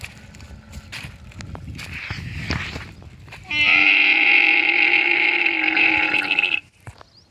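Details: Lone baby camel crying while running in the Tharparkar desert: a loud, sustained harmonic bawl lasting about three seconds, preceded by rustling and thumping footsteps.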